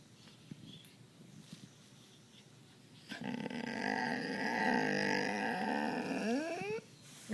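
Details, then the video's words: Pet dog at home 'talking': a drawn-out, harmonic, moaning vocalization lasting about four seconds, wavering in pitch and sliding upward at the end, after quiet room sound; the owner speaks softly before and after. "talking dog"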